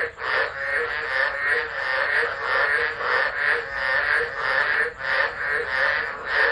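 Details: Storm-time frog chorus at Driver in Australia's Northern Territory on 13 December 2013, recorded on a phone: a continuous wall of overlapping rasping calls with loose, uneven pulsing and only brief dips in loudness.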